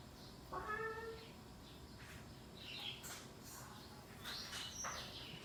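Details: Household cats at dinner time in a Thai town, on an evening after rain: one short, quiet, tonal meow that holds steady then fades, followed by soft rustling and faint indoor clatter.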